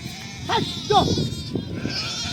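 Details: Lambs running about to reach their mothers for milk: two short wavering bleats close together, then softer calls over a steady background hum.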